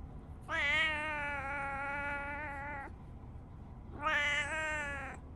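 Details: Tabby house cat Riri chatting to its owner as a morning greeting: a sustained, even meow of about two and a half seconds, a pause, then a shorter second meow; quiet room with faint human voice.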